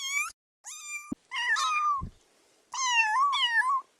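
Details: Kittens playing at chasing butterflies on the grass: four meows, two short ones, then two longer, wavering drawn-out cries, with a soft thump between them.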